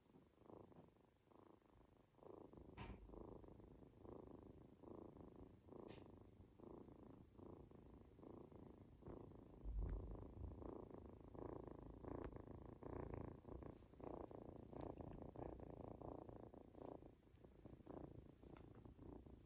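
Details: Two-month-old Norwegian Forest Cat kitten purring while being stroked and dozing off indoors; a steady low rumbling purr with regular breath pulses and occasional soft clicks and rustles.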